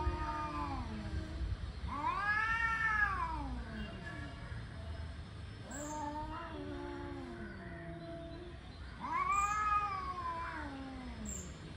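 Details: Angry tomcats warming up to fight trade rising-and-falling yowls: about four long arched wails in twelve seconds. Lower moaning tones overlap and slide downward between the louder cries.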